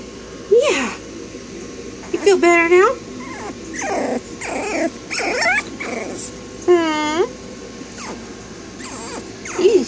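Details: Female smooth coat Brussels Griffon puppy in Texas whimpers with scattered squealing, wavering cries, several sliding down then up, separated by pauses, while a woman talks softly and offers petting and a lap.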